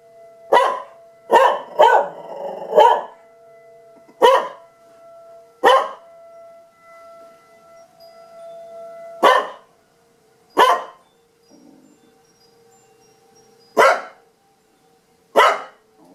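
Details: Tucker the dog barking again during siren testing: a string of about eleven loud, abrupt barks, some in quick bursts of three and others spaced by one to three seconds, over a faint continuous tonal drone.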